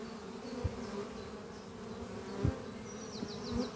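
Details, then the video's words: Short stretch of honey bees humming as they fly at the Doppio hive under trees on a spring morning. The low drone is broken by a few soft bumps, with a faint bird trill rising near the end. "Relaxing sound of bees flying at beehive Doppio on a spring morning"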